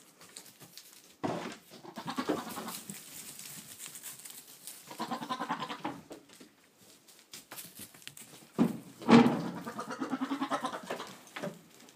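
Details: Boer buck talking to goats, recorded 22 October 2013: low throaty grunting bleats in several bursts, a louder rough bleat around nine seconds, with knocks and shuffling noise.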